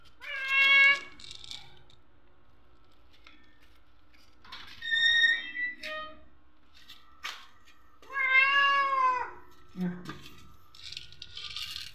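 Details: Orange stray cat, female and hungry, meowing at doors at night begging for food; a few drawn-out meows mixed with short human voice sounds and clicks, with a faint background hum.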